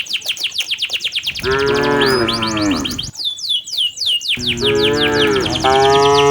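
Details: Tame village cattle driven by a herder toward their pen in the late afternoon give two long, drawn-out moos with rich harmonics, falling at the end, while rapid descending bird chirps repeat steadily throughout.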